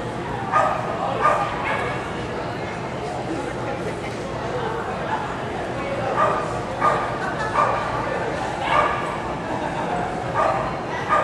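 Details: At a July 2010 AKC agility trial in Winchester, Virginia, a dog gives rapid, irregular barks, often in quick pairs, over a constant murmur of people talking.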